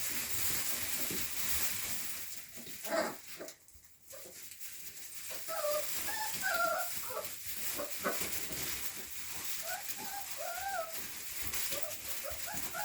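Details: Rottweiler puppies in fall 2019, giving a run of short, high, arching whines and yelps that bend up and down, clustered in the second half over steady background hiss.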